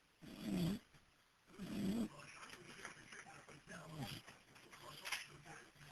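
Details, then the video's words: Porch-sleeping dog recorded on a cell phone: two throaty snores in the first two seconds, then quieter breathing under background chatter and television noise. "My Dog Biff Asleep And Snoring"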